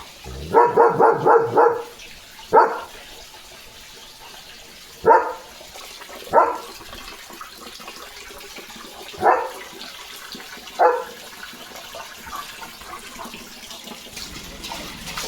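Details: German Shepherd barking in the morning at a dog going past the yard gate: a rapid burst of five barks, then single barks spaced a few seconds apart, fading into quieter background noise.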